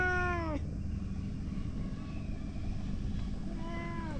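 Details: Boss cat, a stray, calling loudly as the other cats gather around: a long harmonic meow falling in pitch at the start, then a second meow rising then falling near the end, over steady low rumbling background noise.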